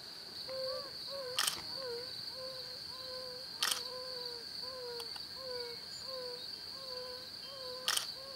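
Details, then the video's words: Male yellow-bellied toads calling from temporary ponds or ruts to attract females: soft, low hooting notes roughly twice a second from two callers, broken by three sharp camera-shutter clicks, with a steady high whine. "Bombina variegata - calling & fight"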